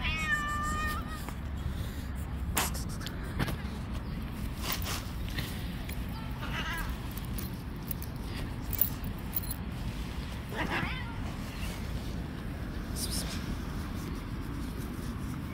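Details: Stray street cat attacking and fighting other cats outdoors; a brief harmonic meow opens, later followed by wavering, rising cries, with scattered sharp clicks over a steady low rumble of background noise.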